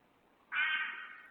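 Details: A red fox gives one harsh, rasping bark that starts abruptly and fades within a second, in Medford, New Jersey, in January. It was a retort to a dog's barking amid shrieks thought most likely foxes mating, perhaps from the male.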